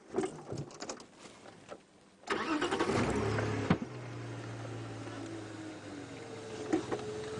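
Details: A vehicle engine cranks, starts and settles into a steady idle, with no animal calls. Some clatter and handling noise come before the engine catches.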